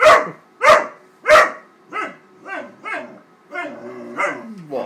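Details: Upset at a paper bag he attacks, Wallace the 13-week-old Great Dane puppy gives three loud, harsh barks, then softer, higher yelps that slide downward in pitch.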